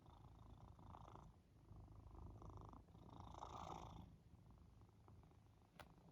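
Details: Pet cat purring while cuddled on its owner's back during a nap after the gym: a low, rumbling purr with rhythmic pulses, swelling and easing in loudness, plus faint rustling and a brief click near the end.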